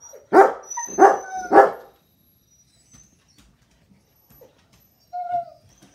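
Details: Pet Siberian Husky indoors reacting to a coyote seen on television: three loud, harmonic yowling barks in quick succession, then near silence before a brief higher whine near the end.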